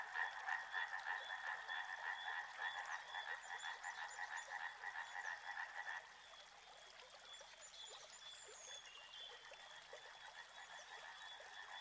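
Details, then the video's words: Frogs calling in a chorus by a river: dense pulsed croaking trills, loud for the first six seconds and then dropping to a softer, steadier murmur. A high buzzing insect-like tone starts near the end. "Frog Sounds | Soothing sounds of river and frogs"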